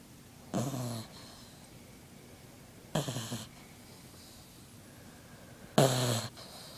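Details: Magnus the Frengle puppy sound asleep, giving three raspy snores roughly two and a half seconds apart, each a brief throaty rattle with breathy hiss, the last one loudest, in a quiet indoor setting.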